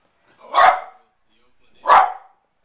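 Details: Pembroke Welsh Corgi watching baseball on TV, barking at the pitchers because they do not throw the ball to him: two sharp, loud barks about 1.3 seconds apart in a quiet room.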